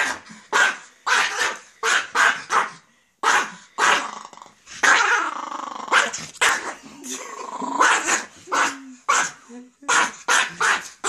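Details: A 12-year-old male Miniature Pinscher, a pampered house dog, barking in sharp repeated bursts, roughly twenty per minute and irregular, mixed with rough growls; a person talks between some of the barks.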